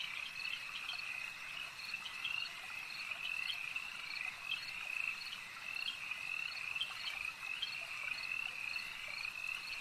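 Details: Many frogs croak together at a lake, a thick high-pitched pulsing chorus with quick accented notes scattered throughout, continuous and even, gentle ambient hiss behind.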